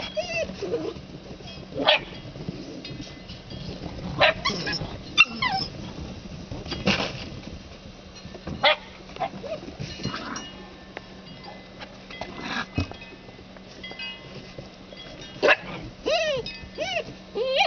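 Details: Red Standard Poodle puppies from a 2008 Arreau litter playing in the snow give scattered high, short yips and rising whines, with occasional sharper barks spaced by quiet stretches; a person talks to them now and then.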